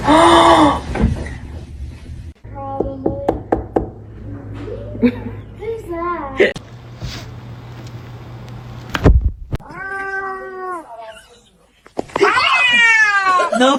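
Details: Cat meows in a compilation of cute and funny cat moments: a series of short rising and falling meows, some drawn out and wavering, mixed with a few human words and laughter, ending on a long strained caterwaul-like meow.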